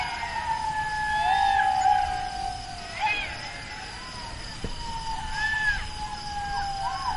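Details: Jackal cries: a sustained falling wail with short wavering yelps and looping calls rising above it, set against a continuous background hum.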